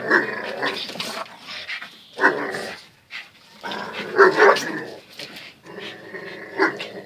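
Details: Two dogs, Zion and Tyson, in their daily fierce play-fight; bursts of harsh growling and snarling come in clusters separated by short pauses, with a few sharp bark-like yelps.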